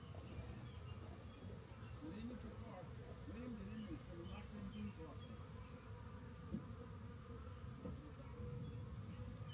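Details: Swarm of honey bees found by a rain gauge and being collected into a box: a dense, steady droning hum fills the whole stretch, with faint voices in the background.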